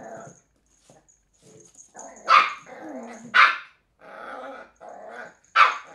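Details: Three-month-old Cairn Terrier pup Willow battling an empty bottle, giving low rumbling growls between three loud, sharp barks spaced about a second or two apart, with a steady faint high tone behind.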